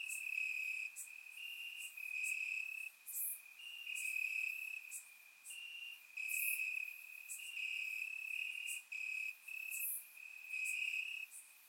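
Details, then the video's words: Several crickets chirp in grass at night during a warm summer in Bulgaria, recorded in surround sound; overlapping high trills alternate in pitch, punctuated by frequent loud pulsed bursts about once a second. "Cricket Sounds - Crickets Chirping at Night"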